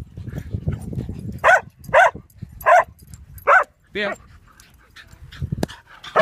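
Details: Dog named Bear playing wildly in a dog park, barking in a burst of five loud, clipped barks about half a second apart, with human voices murmuring underneath and a sharp click near the end.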